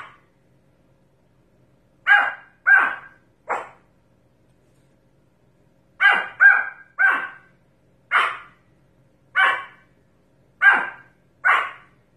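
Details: Pomeranian barking in irregular bursts: three sharp barks, a pause of over two seconds, then a run of single barks spaced roughly a second apart, with a quiet background.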